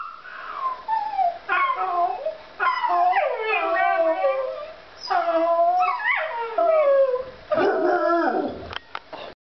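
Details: A puppy howls in sympathy with a child's fake crying: long quavering wails, wobbling up and down in pitch and swelling in strength, then a rougher, broken burst of crying near the end.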